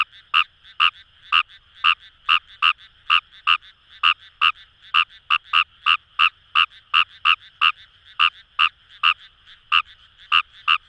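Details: Paddy-field chorus of Kawamura's rice frog at Itoshima, Fukuoka Prefecture, Japan: rapid, slightly uneven croaks, close callers overlapping with more distant ones, about three per second, over a constant background drone of further frogs.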